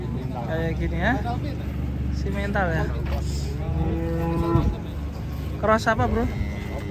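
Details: Rampaging cow swimming in water as residents crowd around: a drawn-out low moo with a steady tone, amid a busy background of overlapping human voices and shouts.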